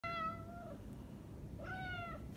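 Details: Manx cat outdoors reacting to the cold: two clear, drawn-out meows, each under a second, with bright even harmonics and a slight falling end, over steady low rumbling background noise.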